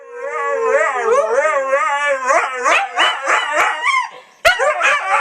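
A Siberian Husky puppy gives a high, tuneful howl that wavers up and down in quick, yodel-like swoops. The notes break into short whining bursts near the end, with a brief sharp click partway through.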